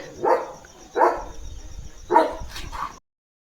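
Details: German Shepherd Leo, the loyal guardian of his home, standing watch at the front gate: three loud, resonant barks spaced about a second apart, followed by two softer, shorter yips before sudden silence.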